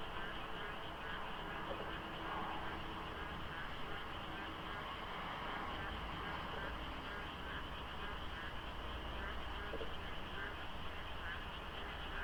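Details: At dawn during the monsoon, frogs call en masse by the Deokso IC expressway interchange in South Korea under light fog. Layered, rapidly repeated croaks merge into a loud ongoing chorus, with distant traffic droning underneath.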